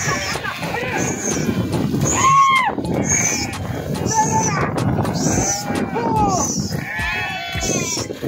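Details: Several sheep swimming in and jumping into a river bleat in overlapping, wavering harmonic cries against a steady rush of water.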